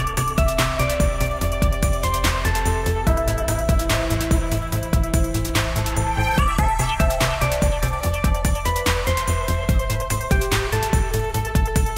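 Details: Electronic dance music with a steady driving beat, deep bass and bright synth notes fills the whole stretch, with no animal voice anywhere.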